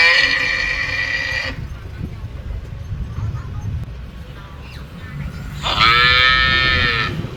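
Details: Cows recorded at Phnom Penh, Cambodia: one moo ends early and a second, rising then steady, starts near the end, with low traffic-like rumble in between.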